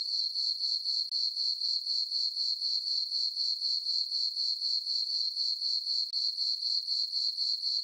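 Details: Crickets chirping on a summer night in a meadow on a farm under a full moon: a steady high-pitched trill pulsing in even bursts about four times a second, with no other sounds.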